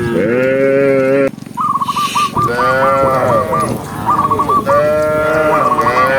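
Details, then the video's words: Tame cows in a herd walking along a green forest path give loud, drawn-out moos with rich harmonics. Quick, repeated upward chirps sound around them during the pauses. "cow sound cow Moo"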